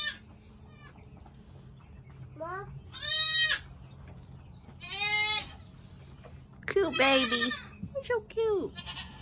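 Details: Young goats from the 2022 kidding season calling in short, nasal, quavering bleats spaced a second or two apart, the last ones overlapping and cracking upward, over a low steady hum.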